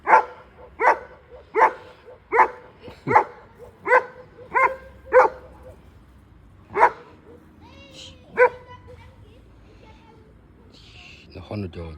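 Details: German Shepherd giving deep, resonant barks spaced about every 0.7 seconds in a steady series. The barking thins out to a few more barks, then people talk over a quieter end.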